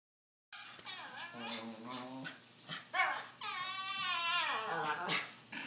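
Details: Puppy "talking" in a string of whiny, harmonic vocal sounds, pitch wavering up and down through several drawn-out, howl-like phrases, the longest sliding gently downward near the end.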